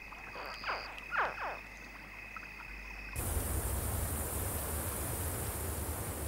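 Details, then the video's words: Crocodile family in the relative safety of river water after the mother carried her hatchlings there in a pouch in her mouth, giving a soft contact call: three short chirping sweeps in quick succession, then a loud steady rushing noise. "in the relative safety of the water, the croc family communicate with a soft contact call."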